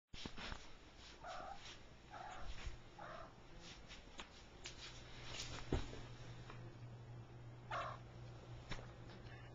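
A Siamese cat gives a few short, nasal meows, with a steady low hum behind.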